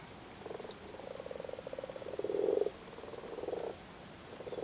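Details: Spawning Irish frogs in a flooded cattle grid in Cork, Ireland: a run of low rattling croaks, swelling into a louder purring burst midway, then softer pulses continuing.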